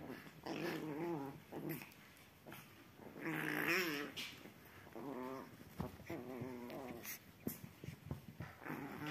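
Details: Playful Chihuahua puppies wrestling on a sofa give warbling, rippling growls in short stretches, the longest and loudest midway, broken by brief squeaky whimpers and soft scuffles of paws on cushions.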